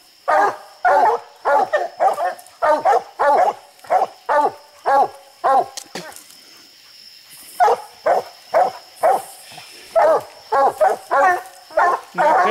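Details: Coon dogs bay at a tree holding raccoons on a hilltop; quick strings of harsh barks come in bursts, a pause of about two seconds midway, then the barking resumes steadily.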